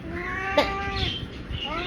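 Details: A big male ginger pet cat indoors gives a long, strained, wavering meow that bends upward at the end, while a person talks in Bengali around it.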